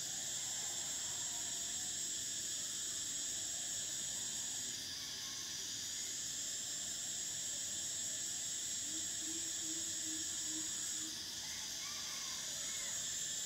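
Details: Cicadas in summer produce an unbroken, high-pitched sizzling drone that swells and eases twice, accompanied by faint scattered bird chirps and a low steady background hum.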